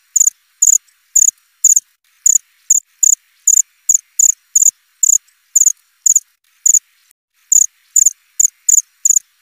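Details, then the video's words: Cricket calling with thin, piercing chirps, each short and clipped, arriving two or three a second at an irregular pace, one longer gap near the end, nothing else audible. "Suara jangkrik krik.. krik.."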